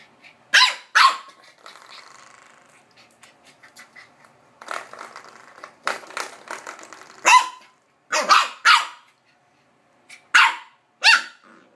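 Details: Corgi giving loud, harsh barks in bursts, some doubled in quick pairs, separated by short pauses and softer noises between.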